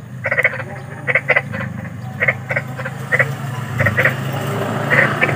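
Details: Big frog (kodok besar) outdoors, described as eerie: sparse, short raspy croaks every second or so, fainter than elsewhere, over a steady low hum and a rising broad background noise toward the end.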